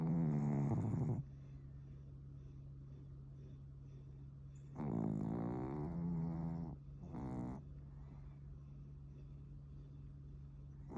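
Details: Sleeping pet Pomeranian named Suama, fond of futons and prone to twitching in sleep, snoring like an old man: raspy, buzzy breaths lasting one to two seconds, spaced several seconds apart, over a steady low hum.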